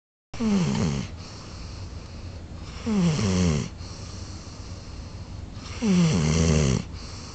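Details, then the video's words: Beau, a big golden retriever sleeping soundly, snores deeply, with a low rasping breath about every three seconds. "Beau, a big golden retriever snoring!"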